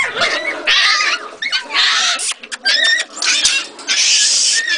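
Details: Jagdterrier giving loud, high-pitched squealing yelps in harsh, strained bursts of about a second, rising and falling in pitch, separated by short gaps with brief quieter whines.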